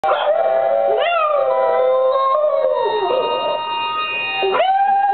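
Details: Red and white female Boston Terrier, almost two years old, howling along to recordings of other Boston Terriers howling; a sustained, wavering, musical howl with a dip in pitch midway and a sharp rising onset near the end.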